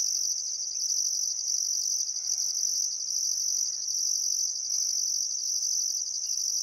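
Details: Summer sunset chorus of crickets by the Barcoo River in Welford National Park, Outback Queensland: an unbroken piercing trill overlaid by regular pulsed beats about once a second, with faint bird notes underneath.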